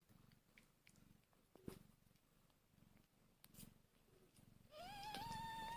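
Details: Newborn kittens one hour after birth, hungry; soft rhythmic low purring pulses fill most of the stretch, then a loud, clear, slightly rising mew with strong harmonics starts near the end and holds to the close, over a few faint clicks.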